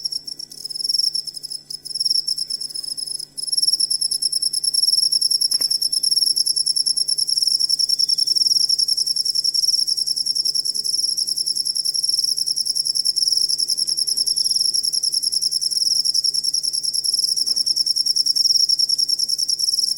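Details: Continuous shrill cricket song for training songbirds: after a few broken chirps at the start, a fast, unbroken high trill with a clear overtone runs steadily for twenty seconds over a faint low hum.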